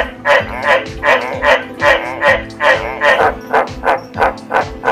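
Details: A White's tree frog gives a steady run of hoarse, barking croaks over background music; this species barks to attract mates and advertise location, typically after rain stops.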